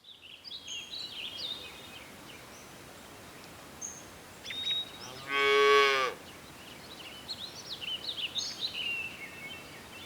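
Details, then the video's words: Cows searching for food on a lush green countryside meadow; one short, loud, rich moo lasting under a second rises out of the scene midway, while small birds chirp and twitter steadily before and after. "The sound of cows mooing"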